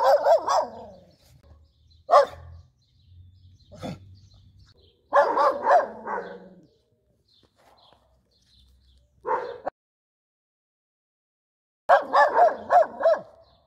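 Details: Schnauzer barking angrily outdoors on a street, loud bark bursts in clusters separated by pauses, some rapid repeated barks, with faint low rumbling between bursts.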